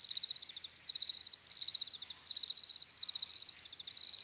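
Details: Chirping crickets, meant as a calming sleep sound, give rapid high-pitched pulse trains in bursts about half a second long separated by brief gaps, a trilling texture with nothing else audible.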